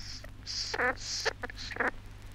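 A squirrel glider gives hissing bursts and two nasal, chattering grunts about a second apart, over a steady low hum from an old recording.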